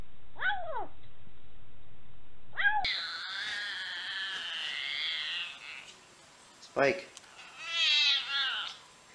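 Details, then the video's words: Domestic cat in a compilation of cats making weird noises: a long, high, wavering meow with a drawn-out warble, after short chirps and followed by brief squeaky calls, with a clip change partway through. "Cats Who Make Weird Noises!"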